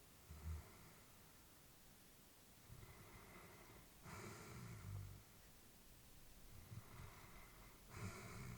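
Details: Elderly female Labrador Retriever asleep, breathing softly: slow breathy huffs roughly every one to two seconds, some louder snorting exhalations with a brief hiss, over a quiet indoor background.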